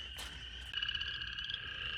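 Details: Spring peepers call from vernal pools on a warm (about 70°F), partly cloudy second week of February, high piping notes merging into a continuous shrill ring, with faster pulsed trills from chorus frogs and toads in the background.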